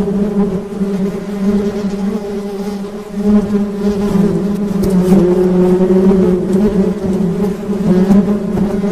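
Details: Continuous buzzing of honey bees, a thick low hum with layered harmonics that swells and dips in loudness while individual insects pass close by.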